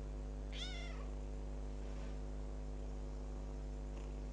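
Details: A single short, bright meow from a kitten adopted ten days earlier, rising then dropping quickly, followed by faint soft calls against a steady humming background.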